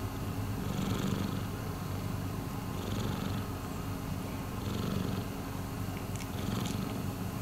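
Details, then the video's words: A continuous low purr from Miiko, a rescued pet cat, rising and easing in breath-paced waves about every two seconds, with a faint breathy hiss above and a few small clicks near the end. "Miiko is purring."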